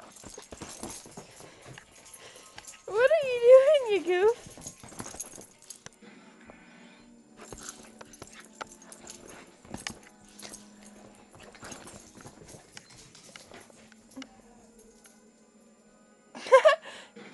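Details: Chihuahua giving a wavering, high-pitched whine with rich harmonics for just over a second, rising and falling in pitch; a shorter sharp burst follows near the end, over a low steady hum and some quiet household talk.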